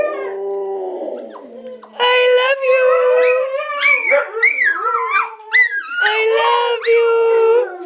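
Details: Several pet huskies, with a Chihuahua among them, "making some noise": drawn-out, wavering howls and yodel-like talking sounds that bend up and down in pitch.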